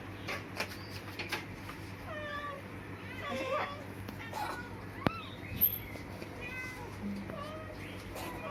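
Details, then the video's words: Abandoned newborn kittens, four lying on a cloth in an Indonesian cemetery around dusk, give a cluster of thin wavering mews and a few later squeaks, while adults talk over them. "Nemu bayi kucing di Kuburan - Found a kitten on cemetery"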